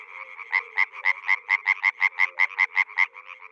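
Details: Frog described as a water or rice-field frog, calling in a fast series of short, raspy pulses, about four a second, each with a bright ringing core, over a faint steady low hum.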